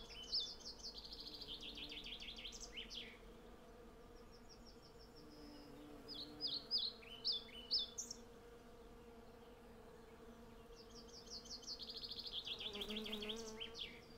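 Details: Western honey bees by the hundreds foraging for honey on a flowering cherry tree, captured with a Sennheiser MKH 8040 into a Zoom F6. A soft, continuous buzzing drone runs throughout, with bright chirping birdsong phrases breaking in above it.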